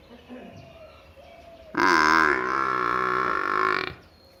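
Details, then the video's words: Buffalo calf in a village, giving one loud, drawn-out nasal bleat of about two seconds with a wavering pitch, after quiet background murmurs. "cute buffalo funny face sound"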